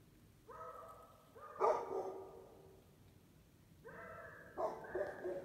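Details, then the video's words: Beagle and Basset Hound mix barking at strangers: two drawn-out, tonal baying barks that step upward, each lasting about a second, with soft hiss behind. "Beagle (Basset Hound mix) barking at the strangers"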